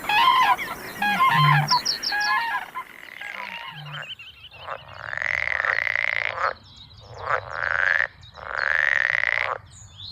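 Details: Northern pool frog heard in a listener-sent countryside recording: after a few seconds of high chattering bird song, long pulsed, rasping croaks, each about a second long and slightly rising, come in a row with short gaps between them.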